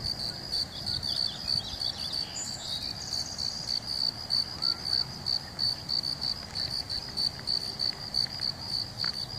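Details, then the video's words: Crickets calling in California: a steady, high-pitched chirping band repeated in regular pulses, about three per second, continuing throughout, with faint background noise and a few brief higher chirps. "Crickets calling in California"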